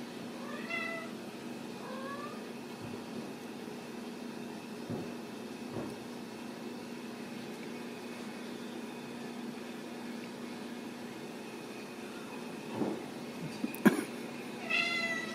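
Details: Home-raised Ragdoll kittens at a cattery in central Kansas: several short, high kitten mews scattered through the recording, with soft knocks and a louder squeaky cry near the end above a constant background hum.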